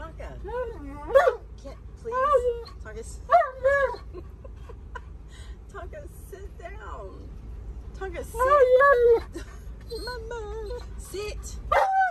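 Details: Tonka, a stubborn Alaskan Malamute arguing against wearing his seatbelt, answers a woman's commands with repeated short wavering whines and moaning bursts scattered through the stretch, the longest near the end, mixed with her speech.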